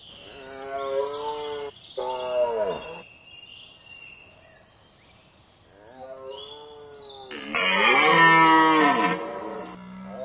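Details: A red deer stag roars during the rut on 19 September 2010 in Hoge Veluwe National Park, Netherlands: long harmonic bellows that sag in pitch at the end.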